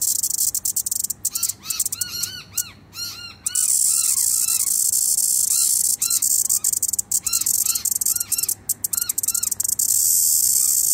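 A cicada's steady, high, hissing buzz runs throughout, with bird chirps breaking in over it.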